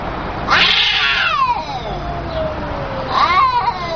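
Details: Two harsh, screeching yowls from angry cats: the first a loud raspy burst sliding down into a long moaning wail, the second a shorter rising squall near the end, over steady hiss.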